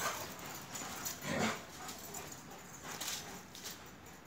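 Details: Playful Akbash dogs Zeyna and Güdük Reis in Turkey: one low rasping growl-grunt near the middle, then softer breathy scuffles and faint noise.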